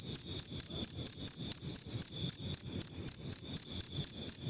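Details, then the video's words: Natural cricket noise meant for training songbirds: piercing high chirps come in a fast, regular series of about four to five per second, loud and clear above soft background rumble. "Suara jangkrik alam/Cricket Noises"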